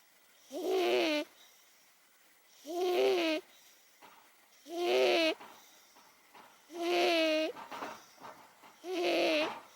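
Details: Momo, an 18-year-old pet cat, snoring while asleep indoors: five tonal, wheezy, harmonic snores, each about half a second long, repeated roughly every two seconds in a steady breathing rhythm, with a quiet room between them.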